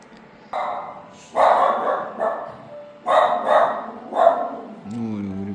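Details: A dog barking at an animal hospital, startling a rescued kitten during its checkup; a few loud, broad barks in bursts about a second apart, with a person's voice at the end.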